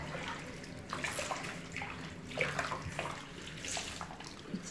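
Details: Running water and splashing in a small indoor room during a bath, with faint muffled background noise.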